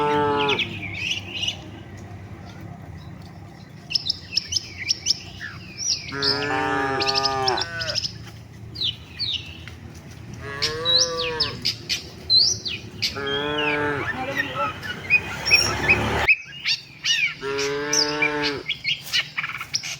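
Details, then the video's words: Herd of tame cattle on its way to the shed; after a quiet start, four wavering moos come several seconds apart while many birds chirp and twitter busily around them. "suara sapi moo,perjalanan sapi lembu jinak menuju kandang bersama kawanannya"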